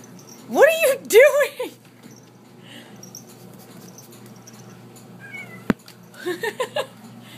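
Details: Pet cat Rocky, indoors while tugging and digging at a towel, gives two drawn-out meows that rise then fall, close together in the first two seconds. A quiet stretch, a sharp click and a few short chirpy sounds follow near the end.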